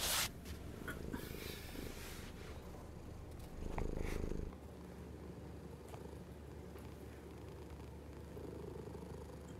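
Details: Purring from a hungry pet cat: a continuous low, throbbing rumble that swells noticeably louder for about a second midway, then settles back to a steady hum, with faint scratchy noises early on.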